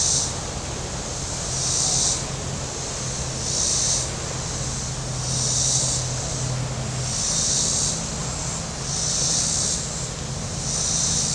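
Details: High shrill cicada buzzing from the lakeshore at Table Rock Lake, southern Missouri, on a hot Saturday: rhythmic surges of hiss, each swelling for about a second and recurring about every two seconds, above the low rumble of passing boats.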